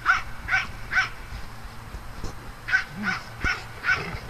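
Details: Dogs at playtime on a farm: a string of short, sharp barks, three evenly spaced, a brief pause, then five more at roughly half-second intervals, over a low steady background hum.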